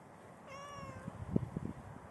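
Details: Pregnant domestic cat roughly four hours before birth: a single steady, slightly wavering meow lasting about half a second, followed by soft low knocks and shuffling sounds.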